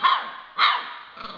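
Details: Two short, hoarse, high barks from a two-month-old yellow Labrador Retriever puppy, about half a second apart, with a faint trailing yelp.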